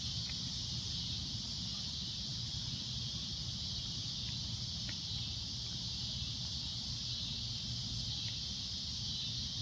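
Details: Cicada droning at sunset: a loud, shrill, continuous buzz held steady through the whole stretch, with a few faint clicks and a low rumble of background noise underneath.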